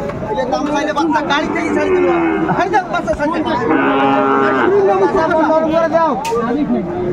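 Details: At Ambari market in Netrokona, Bangladesh, 8 November 2024, a Sahiwal bull lows in several uneven, rising and falling moos, mixed with people talking and the general bustle of the cattle market.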